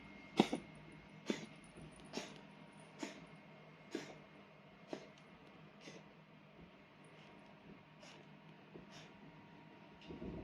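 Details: Coughing Bengal cat suffering from a cold, kept indoors in a multi-cat home; a series of short dry hacking bursts repeated roughly once a second, loud at first then fading, with faint room noise behind.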